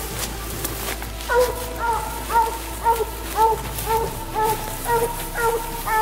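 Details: A Treeing Walker Coonhound on a coon hunt barks in a fast, steady run of short chopped yelps about two per second, with some rustling and faint voices.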